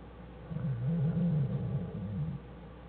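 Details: Jewel the black bear and her cubs Fern and Herbie inside their den, January 1, 2013, Wildlife Research Institute study bears: a deep, pulsing, motor-like hum that wavers up and down for about two seconds, low and continuous.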